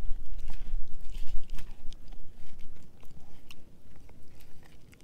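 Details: Edu, a German Shepherd mix, chewing a dehydrated pig ear dog chew indoors: irregular crunching and wet gnawing at roughly three bites a second, with sharp clicking cracks and low rumbling handling noise.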